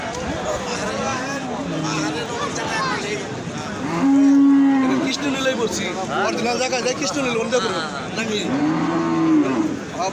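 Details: Gayal, a rare hill cattle, at Paragram cattle market in Bangladesh: a drawn-out steady moo around four seconds in and another near the end, over constant crowd chatter and market bustle.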